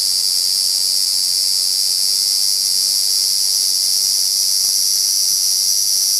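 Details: Large brown cicadas quarrelling produce a steady, harsh, high sizzling drone that runs on without breaks or rhythm changes.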